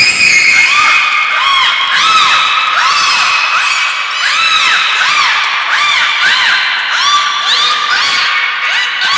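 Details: Dense overlapping arched chirps and whistles, repeated rapidly throughout, like a squeaky chorus; belugas Hodoi, Taanya and Mirai during a training session at Port of Nagoya Public Aquarium on 1 November 2020.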